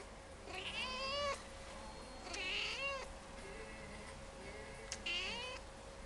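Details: A talkative domestic cat at a cat café in Sendai, Japan, meowing as a greeting: three drawn-out harmonic meows, each rising then falling, spaced about two seconds apart over a steady low hum.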